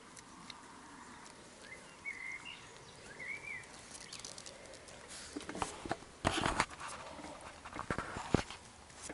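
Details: Labrador Retriever puppies of an A litter scuffling, squabbling and playing together; brief high squeaky whines around the second and third seconds, then scrabbling, thumping and rustling bursts of rough play.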